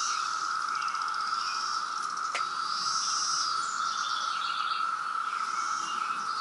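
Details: Loud chorus of periodical cicadas during the 2017 brood emergence at Reston, Virginia: a continuous level whine, a single sharp click near the middle, and high chirping birds in the background.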